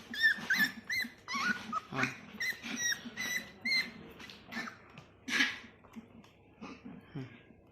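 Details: Several Labrador Retriever puppies playing and being hand-fed at home: rapid high squeaky whines and yelps, many overlapping, with soft grunts, while a woman speaks Marathi to them.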